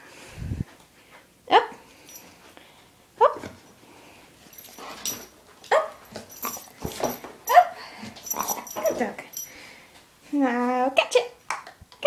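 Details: Welsh Springer Spaniel, a pet male dog, indoors doing tricks such as sit, lie down and paw; short sharp barks spaced a second or two apart among praise and commands from a person, ending in a longer whining cry.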